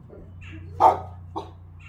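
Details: Silver puppy barking at the neighbouring Doberman: one sharp, loud bark near the middle, followed by a shorter, softer bark, over a steady low hum.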